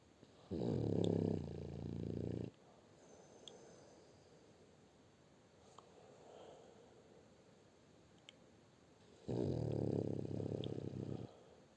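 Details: French Bulldog Shturm snoring in a small room: two long rattling snores about two seconds each, roughly seven seconds apart, with soft breathing between.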